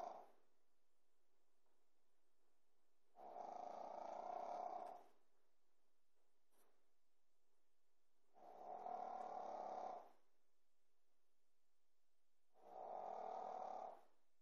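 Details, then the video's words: A Pekingese puppy snoring in its sleep, three coarse, fluttering snores about five seconds apart, each near two seconds long, with a faint tail of one breath at the start and a soft click between. "snoring pekingese puppy"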